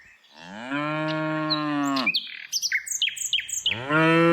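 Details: Tame cows in the afternoon: a long, deep moo that drops at the end, then a burst of rapid bird chirps, and a second moo beginning.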